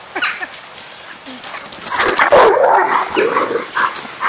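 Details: Three Irish Wolfhounds chase each other in a garden, the noisiest being Keeva, a female. Rough, growling barks and grumbles swell to a loud burst midway, then fade into scattered shorter yelps amid rustling movement.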